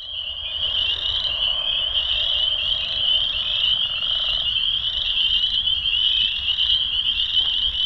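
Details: A dense spring peeper chorus on an April 15 evening around 7:30, after a very warm 27–28° day, at a flooded old sand pit pond with chorus frogs also calling: countless high, piercing peeps blend into one shrill wall of sound.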